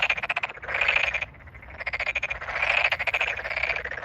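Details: Close Tokyo Daruma pond frog calling amid a large chorus in a flooded rice field, 8 May 2022; creaky pulsed trills swell and fade twice in four seconds, with a short quiet dip between them.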